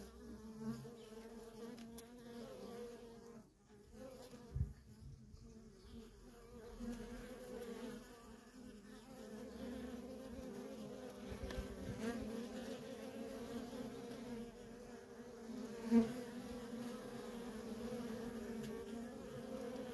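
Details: Continuous hum of many worker honey bees moving in and out of a feral colony; an even, layered drone holding steady pitch, with a brief sharp knock near sixteen seconds.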